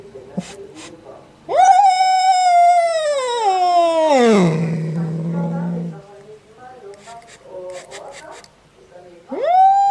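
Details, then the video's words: Strange cat sound: after quiet clicks, a loud, sustained wail starts high and steadily slides down into a low, rough growl, followed by softer murmurs, and a new rising yowl begins at the end. "Cat's strange sound"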